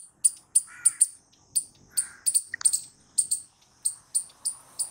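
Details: Loud squirrel noises: sharp, high chips in quick doublets and singles, roughly three per second, with occasional fainter squeaks underneath.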